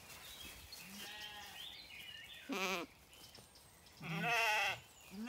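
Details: Zwartbles lambs on an Irish farm in County Kilkenny looking for their mothers one morning after rain; a soft bleat followed by two louder, tremulous bleats, the last one longest, over background birdsong.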